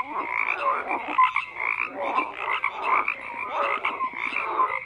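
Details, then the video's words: Several frogs croak in overlapping bursts roughly every half second, with raspy pulsed calls mixed with brief clear tonal notes, forming a continuous chorus. "FROGS CROAKING"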